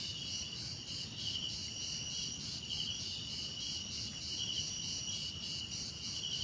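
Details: Continuous high-pitched cricket chorus, layered shrill trills with a fast, even pulsing beat that never stops, with a few brief slurred notes woven in and a faint low hiss beneath.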